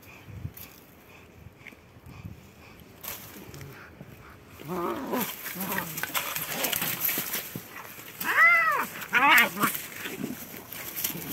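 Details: Two cats, a white one and a black one, fighting: a run of wavering arched yowls and growls building after a quiet start, with loud rising-falling howls near the end, over scuffling noise.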